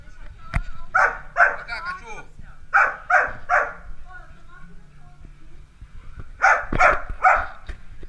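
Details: Playing Dalmatian puppies yap in rapid runs of three high barks, a pause, another trio, then a final burst of three near the end, each bark bright and clipped.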